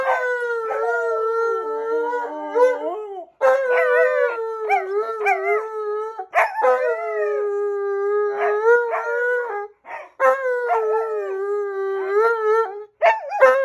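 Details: Malamute and Husky pair, Tonka and Monroe, in a drawn-out duet of howls: sustained tones broken by short yips and wobbling pitch bends, each phrase restarting every few seconds.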